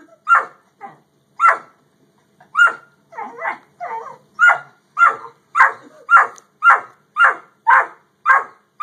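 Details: Barking from a Great Dane and a Yellow Lab: scattered barks at first, then a fast, tighter volley of repeated sharp barks, some doubled, toward the end.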